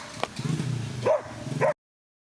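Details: Short excerpt from the Twin Cup 2017 whippet race in Latvia, featuring Weikotin Superpuma and Besties Wasabe. Two bright barks follow a low rumbling background with a brief click before the sound cuts off.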